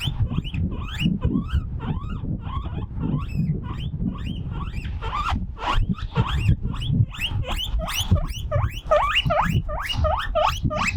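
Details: Lonely guinea pig by itself on a breezy balcony, calling loudly: repeated short upward-sweeping squeaks, growing denser toward the end, partly masked by strong, gusty wind noise.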